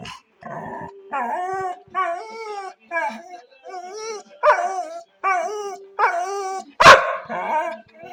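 A Labrador gives a run of drawn-out, tuneful bark-howls that bend up and down in pitch.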